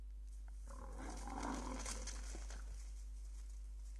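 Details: European bison bull named Łatka in Białowieża Forest, filmed 20 January 2019: a rough, breathy roaring grunt swelling for about two seconds, over a steady low hum throughout.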